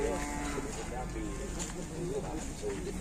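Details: Cattle from an Indonesian farm, bulls raging and fighting; low, lowing moos with stacked harmonic tones over a steady low rumble, with a man talking faintly nearby.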